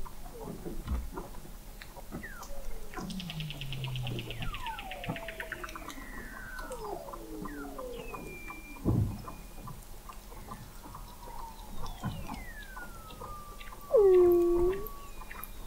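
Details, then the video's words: Several Weddell seals beneath Antarctic sea ice, recorded in November 2017 at the McMurdo Oceanographic Observatory, 21 m under the ice of McMurdo Sound: many overlapping falling whistles, a rapid pulsed descending trill, and a loud final swooping note. "Song of the Antarctic Weddell Seal"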